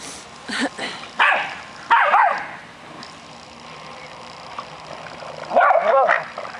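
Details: Three dogs, an American Eskimo, a Schnauzer and a Boston Terrier, playing together. Short yips and whiny barks come in scattered bursts, with quiet gaps between them.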